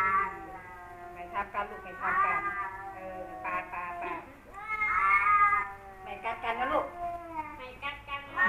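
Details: Male cats Kaopat and Ronja squaring off indoors after Kaopat finds a new cat in the home. Alternating undulating moans and loud warbling howls rise and fall across the whole stretch, with a person talking quietly.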